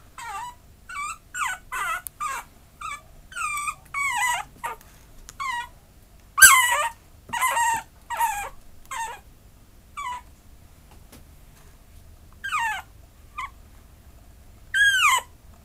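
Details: A Maltese–Chihuahua mix dog whines and yips repeatedly. The short, high, harmonic cries drop in pitch, come in irregular bursts roughly every half-second to second, and have quiet pauses between groups.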